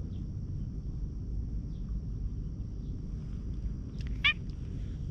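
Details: A stray cat with a hoarse voice approaches and is patted on the lower back, recorded on a GoPro HERO8; a single brief harmonic meow sounds near the end over steady low rumbling background noise.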